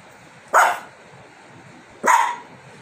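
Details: Lhasa Apso reacting to a calcium bone kept on a remote; two sharp, short barks about one and a half seconds apart, each a quick bright burst fading fast, over a quiet indoor background.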